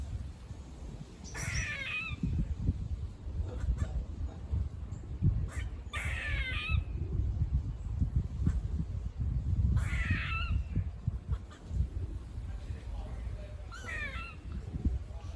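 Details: Squirrels near a farm give harsh, stacked, downward-sliding barks in four bursts, spaced about four seconds apart, over steady low rumbling wind and handling noise.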